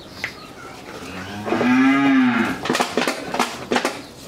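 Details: Friesian heifer, three months pregnant, in Pabna, Bangladesh, gives one smooth, tonal moo lasting about a second that rises slightly and falls, rich in harmonics, followed by sharp clicking and knocking sounds.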